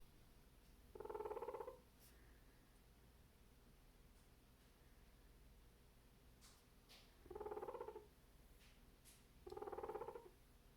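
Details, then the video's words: A male guinea pig gives short, buzzy, purring grumbles of annoyance at a cantaloupe; the owner suspects background noise was actually upsetting him. "Guinea Pig Makes Grumpy Noises at Cantaloupe"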